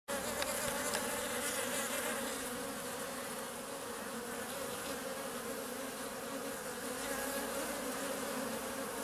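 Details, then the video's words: Honey bees filmed in close-up, with the first bumblebees appearing; a dense, steady buzzing hum of many insects with bands near 300 and 600, continuous throughout without pauses. "Abeilles en gros plan..énormes !!! et apparition des premiers bourdons."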